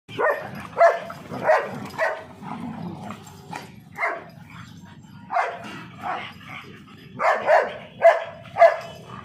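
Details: Indian dogs fighting, a mother teaching her puppy to fight: repeated harsh barks and yelps in bursts, about two per second at peaks, with quieter gaps and low background rumble.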